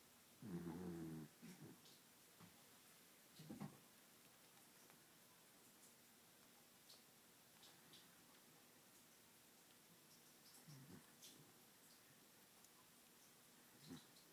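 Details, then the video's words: Sleeping dachshund snoring indoors: a few rough, low, rumbling snore bursts, the loudest near the start, then long quiet stretches broken by brief softer snorts and faint clicks. "The snoring wiener dog!"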